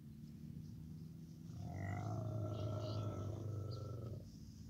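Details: Baby camel giving a long, low, droning moan lasting about two and a half seconds, steady and rumbling with faint higher overtones.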